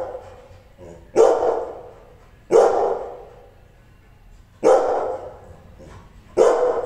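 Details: A Rottweiler described as angry barks forcefully, four heavy booming barks spaced one to two seconds apart, with a softer bark just before the first.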